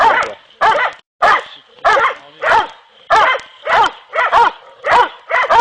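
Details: Kopoy and Barak hounds in training for boar hunting give loud, harmonic barks in a steady rhythm, about ten sharp yelps evenly spaced over several seconds, with a short gap near the start.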